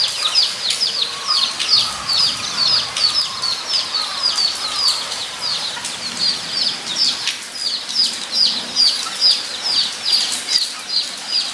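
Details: Recorded at Nogeyama Zoo on 23 September 2012, guinea pigs make a lively, pulsing run of high squeaks, about two or three a second, with faint lower whistled notes early on.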